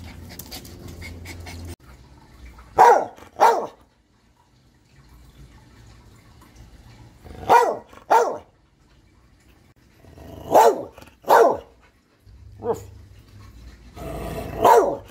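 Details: A dog barks in loose pairs separated by quiet gaps of several seconds, each bark short and sharp, with a faint low hum in the background between the bursts.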